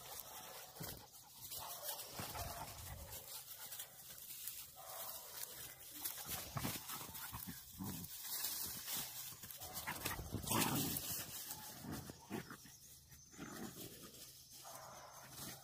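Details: Wild boar hunting dogs, including puppies, give rough, irregular bursts of barking over a noisy outdoor background.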